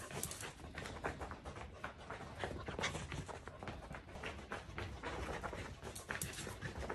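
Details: Corgi with the zoomies, panting hard and fast in quick breathy bursts that run without pause through the whole stretch, with faint scratchy movement noise in a small indoor room.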